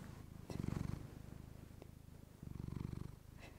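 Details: Close purring of a female pet cat recorded with a fluffy microphone, a deep rapidly pulsed rumble rising into two louder swells, likely as she breathes in, with softer purring between.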